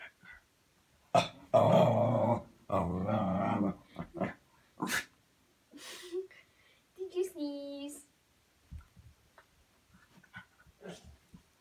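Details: Playful dog indoors making funny noises during play: a few seconds of harsh growling at the start, then scattered snorts and a brief tonal squeak, with a person talking to the dog.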